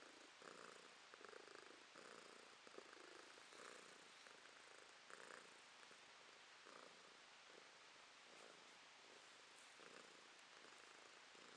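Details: Purring female house cat recorded in December 2022; steady throbbing rumble in repeated inhale-exhale bursts, slightly uneven in spacing, fading a little toward the end, over soft background hiss.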